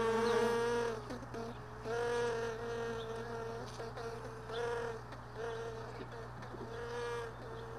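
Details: Honey bees flying around hive boxes left in a truck bed, early in the morning after most bees had gone. Several separate buzzing passes swell and fade about once a second or two over a constant low hum.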